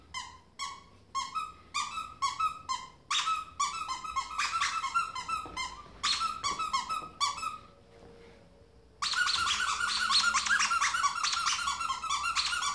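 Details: Ferret bouncing around a small room like a dog: evenly spaced bright squeaks, then a short quiet stretch, then a dense, loud burst of rapid overlapping squeaks at the end.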